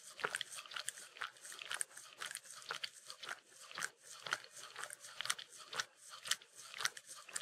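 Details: Licking peanut butter, Mindy the Shetland Sheepdog makes close, moist smacking clicks roughly twice a second, with sticky tongue sounds and small slurps continuing throughout indoors.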